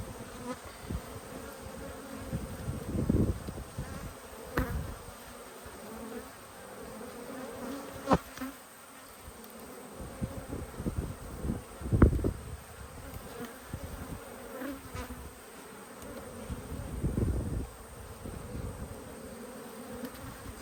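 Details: Honey bees during a Yellow Hive inspection on 19/3/22, older bees still bringing in nectar: a steady droning hum with layered low tones, broken by several dull thumps and knocks from handling the frames.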